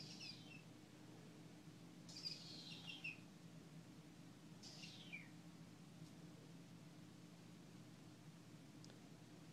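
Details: Litter of kittens found under a front porch, filmed during a play session indoors; three faint, high, thin mews that slide downward, spaced about two to three seconds apart, over a steady low hum.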